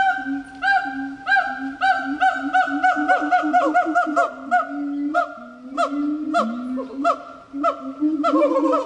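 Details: Gibbon calling, a long series of loud hooting notes repeated about every half second, each with rich overtones and some rising or sliding in pitch, with occasional faint clicks between notes.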